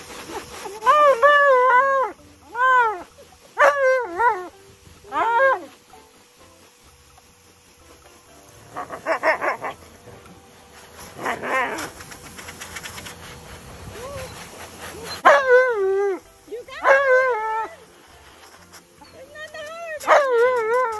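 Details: Male Alaskan Malamute arguing against a bath with a husky lying beside him: bursts of wavering, speech-like howls and whines, some short and clipped, others drawn out, with quieter rustling and background music between.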